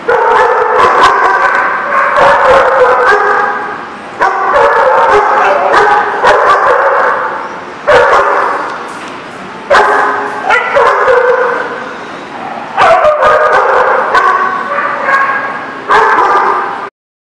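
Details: Several dogs in a barking lot, recorded 2/2/19, producing dense rounds of sharp, overlapping barks and yips that run in long bursts, separated by brief quieter pauses.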